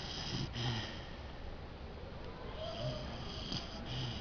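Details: A female Basset Hound sleeping peacefully on an armchair snores in low, rumbling breaths, with a woman speaking softly nearby.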